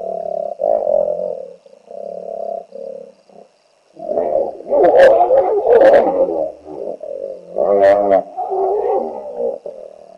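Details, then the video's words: Hippo holding its territory against a trespasser at Naledi Game Lodge, Kruger region: a series of deep droning honks, then a loud run of rumbling bellows with blowing, sputtering bursts and a rattling pulsed grunt. "A Hippo Shouts at another Trespassing Hippo!"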